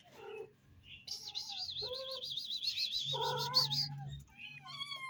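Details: Cats in a family group give short meows, with a long, high, wavering trill running through the middle and a low rumbling hum beneath part of it.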